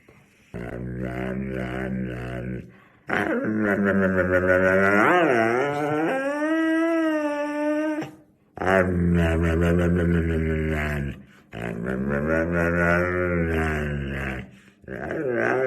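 A Siberian Husky makes drawn-out, wavering talking sounds with growly undertones and sliding pitch.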